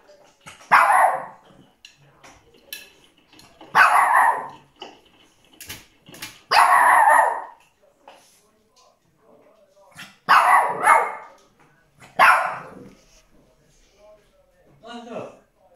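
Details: A Shih Tzu throws a tantrum over his favourite blanket being put in the washing machine, letting out loud, whiny barks every few seconds.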